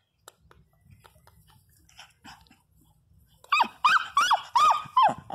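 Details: Teco, a Pinscher, crying loudly indoors: near-quiet rustling and faint sounds, then an abrupt burst of loud, sharp yelping cries that arch up and down, about five in quick succession.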